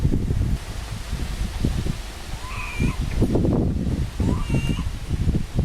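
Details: Little pig-tailed macaque that lost its mother gives two brief arched, tonal cries with a faint overtone, a few seconds apart, against heavy rustling and handling noise.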